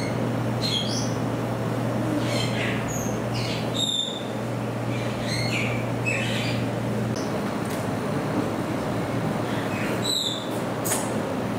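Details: Degus at Saitama Children's Zoo, Japan, filmed 15 September 2020: short high squeaky chirps, some rising and some falling, come in scattered bursts over a steady low hum.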